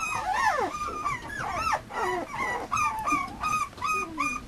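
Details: Male Mame Shiba Inu puppy from a Japanese breeder whining in arched, rising-then-falling whimpers, some long and sliding downward, spaced about a second apart with brief quiet gaps.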